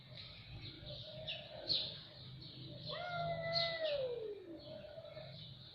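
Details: A cat gives one long, drawn-out meow that holds steady and then slides downward near the end. Small birds chirp faintly throughout, with a low hum underneath.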